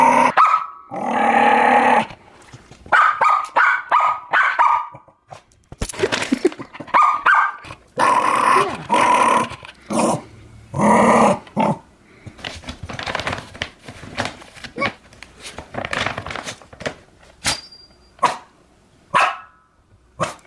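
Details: A Jack Russell Terrier defends its new dog food bag with choppy growls and snarls in short bursts, interspersed with clicks, thumps and quieter stretches of rustling.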